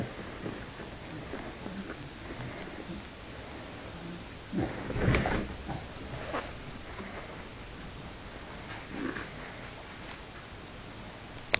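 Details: A Staffordshire bull terrier with a cat gives a few short, breathy snorts and grunts in a quiet room.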